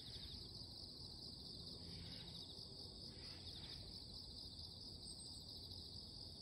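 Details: Morning insect chorus, a constant piercing high buzz that never pauses, while a few brief breathy swells rise and fade underneath around the middle.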